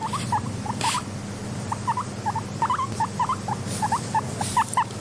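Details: Guinea pig, described as a content pet, giving short, quick upward-hooked chirps in irregular bursts of two to four, over a steady low humming background.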